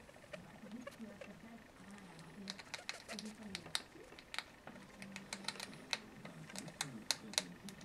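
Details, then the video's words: Noona, a hungry female pet rat, eating chips while holding one like a steering wheel; sharp, crisp crunching clicks come in irregular bursts, denser toward the end, over a low murmuring human voice. "Little Noona , our pet rat , eating chips :-) with funny noises.."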